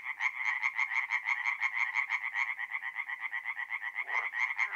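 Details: Tree frogs singing by night at a forest pond, north-east Italy, mid-April: a close frog gives crisp, rhythmic rasping croaks about four per second, others blending behind in an even pulsing chorus.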